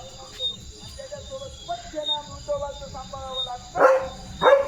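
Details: Leo, a pet German Shepherd, on alert duty just after a bath, gives two short, sharp barks near the end, over background music.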